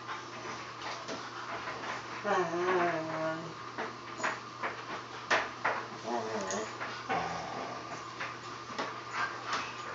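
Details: Siberian Huskies Free Four and Vera playing with a puppy; a long, wavering, rising and falling whine, then a second shorter whine and scattered yips, over scuffling and intermittent human speech.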